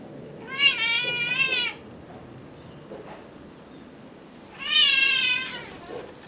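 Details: A Burmese cat outdoors in the morning "sings to the birds," giving two drawn-out, wavering meows about three seconds apart, each slightly falling in pitch, then a faint high whistle; Burmese cat.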